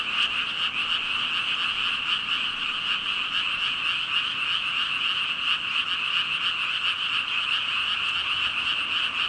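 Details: About 5,000 frogs call at once, giving a seamless, buzzing chorus of overlapping high croaks that holds level throughout, with only tiny flickers of individual calls within the mass.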